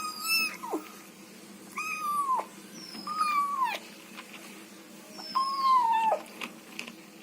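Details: Kitten making odd noises while eating, with four short whiny meow-like calls that drop in pitch at the end, spaced about one to two seconds apart, over quiet chewing sounds.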